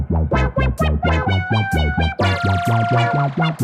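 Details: Loud, bouncy plucked and brass-like comic music with a sliding synth sweep, and no animal sounds.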